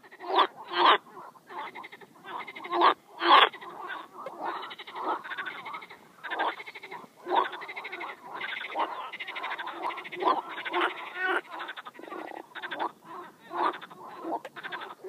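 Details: A frog calls at close range in a dense run of rasping, nasal croaks, with a few loud ones at the start, then a continuous stutter of shorter, overlapping croaks.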